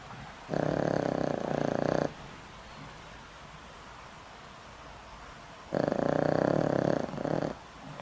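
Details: Boram-i, an old pet dog kept at home for over 20 years and on daily heart medication, snores loudly in sleep: two rough, buzzing pulsed snores about 1.5 seconds each, separated by a quiet pause of roughly three and a half seconds.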